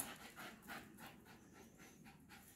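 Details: Patterdale black fell terrier, a sporting hunting dog, after chasing: quiet, rapid breathy panting in soft rhythmic bursts about every half second over a steady hiss of background noise.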